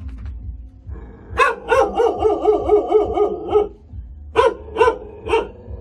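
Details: Hunting dog kept in a cage gives a rapid string of about eight yapping barks, then after a short pause three more separate barks, with a faint low rumble underneath.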